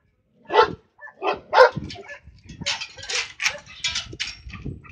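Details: Flat-coated Retriever barking at cows: a quick series of three or four loud, rough barks in the first two seconds, followed by continuous broadband hissing noise with fainter scattered sounds.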